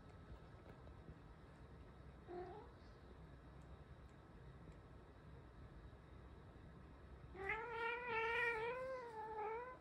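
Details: Lonely Ragamuffin cat that follows its owner into the bath, giving one faint short call, then a long, loud, wavering meow with a rich harmonic tone that rises and falls over about two and a half seconds, in a quiet room with steady background hum.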